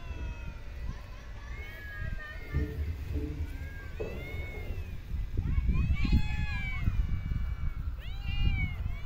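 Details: Street cats at a feeding in a park or street give a few rising-then-falling meows in the second half, after a stretch dominated by human voices and low urban background rumble.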